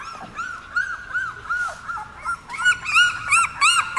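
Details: Young puppies, seventeen days old, newly placed in a dog café, give short bowed squeaks repeated roughly three times a second, growing louder and more crowded toward the end.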